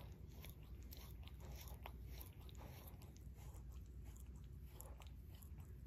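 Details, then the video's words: Barry, an adopted Shorkie dog, licking his own paw indoors in a small room: soft, wet smacking and tongue clicks recur in quick uneven bursts over a steady low rumble, with no talking. "Barry Licks His Paw ASMR DOG LICKING"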